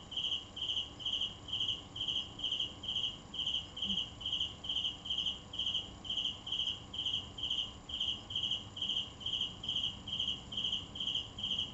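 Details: Cricket calling continuously: clear, high-pitched pulsed chirps repeated at an even pace of a little over two per second, with a faint hum beneath.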